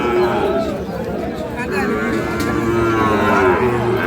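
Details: Sahiwal bull calves for sale at Ambari market, Parbatipur, Dinajpur, 9 February 2026; a couple of short lowing moos come through dense market chatter and haggling voices.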